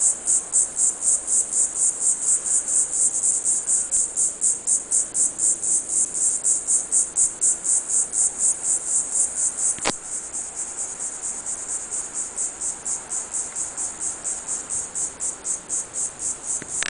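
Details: A salt marsh cicada (Diceroprocta viridifascia) calling gives a high, hissing buzz pulsed in rapid, even beats.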